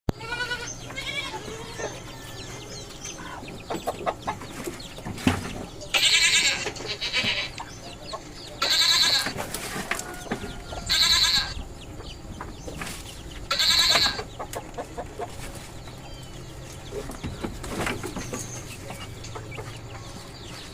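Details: Goats give loud, harsh bleats in short bursts during mating at a goat farm, with clucking chickens in the background.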